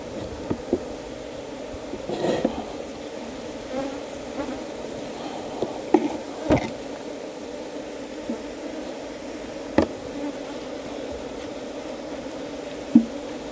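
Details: Wild honey bees lured into a hive box by a beekeeper: a steady, low droning hum from many bees runs unbroken through the whole stretch, with scattered sharp clicks and knocks over it.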